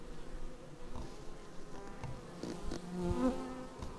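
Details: Bees arriving at a hive, recorded raw on a Xiaomi Yi action camera: faint, steady, overlapping buzzing tones. One bee's hum grows louder and slightly higher-pitched as it passes close near the end.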